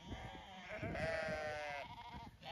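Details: Zwartbles ewes on a sunny day on a regenerative farm in County Kilkenny, Ireland, as the flock is moved to another field; a wavering, nasal bleat that swells and fades over about a second.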